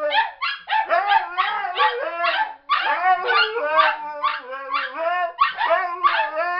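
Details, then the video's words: Singing Siberian Husky joined by two backup dogs, taught to howl together; dense overlapping yodeling howls with quick wavering pitch bends, broken into choppy bursts, one voice dipping and sliding beneath the others. "the Singing Siberian Husky"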